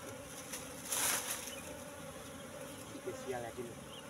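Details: Asian honey bees humming at their wild nest in the bushes; a steady two-toned drone interrupted early by a loud rustling thump, with faint voices toward the end.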